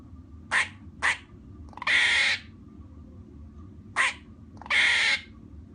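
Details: Squirrel barks: two quick sharp chucks, then a long harsh buzzy cry, repeated once more, with a low background hum.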